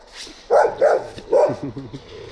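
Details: Stray Gampr dog found on a street in Abovyan, Armenia, its owner being sought, gives three loud, deep barks about half a second apart, followed by quieter low murmuring.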